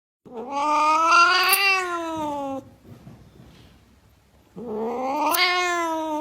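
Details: Angry domestic cat giving two long drawn-out yowls, each a rising then falling wail of about two seconds with strong harmonics, separated by a quiet gap with faint room noise.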